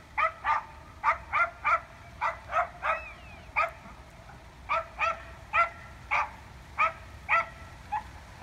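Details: Elk in a street fight in Evergreen, Colorado, on October 19, 2018: a steady run of short, harsh, barking grunts, roughly two per second and in loose pairs, over a low rumbling background.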